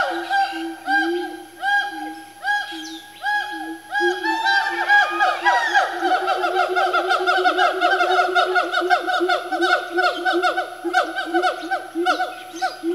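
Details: Family of four siamangs swinging around while building their calls into a frenzy: spaced hooting notes at first, then rapid overlapping rising whoops and barking notes that accelerate into a dense, continuous chorus.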